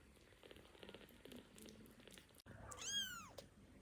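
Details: Hungry baby kittens, still learning to move, waking on a soft blanket and wanting their milk bottle. Quiet rustling and faint murmurs first, then one loud, high-pitched meow that rises, bends and falls away within a second.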